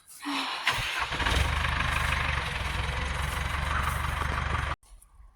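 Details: A vehicle engine starts and runs with a steady rumble, then cuts off abruptly, and no animal is heard.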